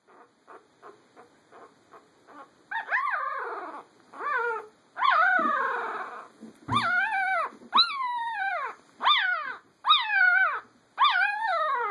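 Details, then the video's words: Puppy vocalizing: a run of short faint yips, then loud drawn-out whining howls that rise and fall, each about half a second to a second long, repeated roughly every second with brief gaps. "Noisy puppy"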